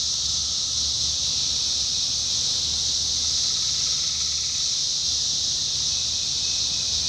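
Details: Dense, unbroken high-pitched whirring of many 17-year cicadas in Indiana in summer 2021, steady throughout, with a faint tonal line and soft low rumble beneath.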